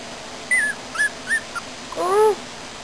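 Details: Pomeranian named Peepy, indoors, gives a few short high whining notes that slide downward, then a longer rising whine with clear overtones, while a person coaxes it in a calm room.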